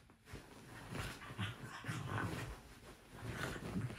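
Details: A Jack Russell Terrier jumps onto the bed in the morning, whining and panting in short, repeated bursts to wake its owners and make them aware of his presence.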